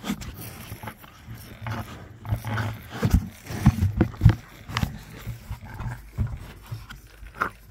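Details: Two young rhinos grunting back at their keeper during an early morning milk feed: deep, rough pulsed grunts in irregular bursts, loudest in the middle, with the keeper's voice talking to them and feeding noises around.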